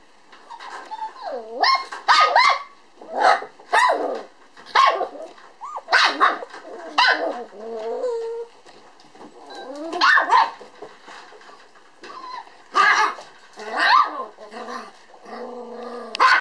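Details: Black male Toy Poodle puppy named Pump, weighing 431 g and newly walking on its feet, at a breeder in Otsu, Kyoto, filmed 8 December 2012; shrill squeaky yips and short barks in quick bursts, around a dozen, with whiny tones between.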